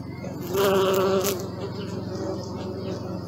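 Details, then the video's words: Bee buzz rising sharply into a loud, rich droning hum for under a second, then fading back into a softer continuous background hum of more bees. "Bee sound and video!"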